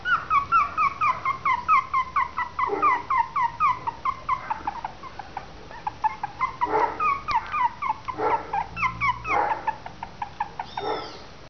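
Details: Litter of Westie/Maltese cross puppies, three weeks old, giving rapid chirping whines about twice a second, thin squeaky cries from several pups together, with a few soft rustling bursts.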